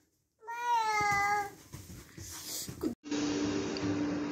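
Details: Female Siberian Husky at home, a long harmonic howl-like vocal holding steady then wavering for about a second, followed by rustling and a steady tonal hum.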